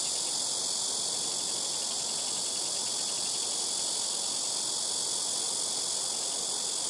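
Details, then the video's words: From trees next to a house rooftop, a blackish cicada gives a harsh, sustained high buzz, loud and even, with a faint pulsing texture and steady background noise beneath. "시끄러운 매미우는소리"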